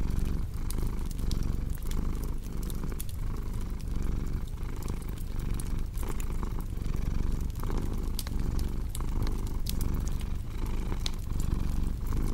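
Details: Steady, resonant purring from a house cat, each breath cycle clearly marked by a slight swell, set against the constant crackle and popping of a wood fire.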